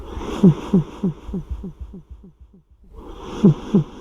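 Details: Odd-eyed cat known as Odd-Eye-kun snoring, with echo added to the recording: short low snorts repeat about three times a second, each trailing off in echo, fading to near silence before two louder snores return.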